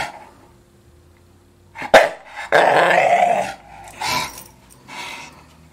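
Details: A young Staffordshire Bull Terrier, unable to decide whether to play ball, gives rough, throaty growls and grumbling vocalizations in a small room.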